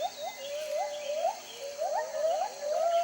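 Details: Jarunee, a singing gibbon, gives clear whistled notes that each sweep upward into a hook, repeated about twice a second in a steady rhythmic series; faint insect hum underneath.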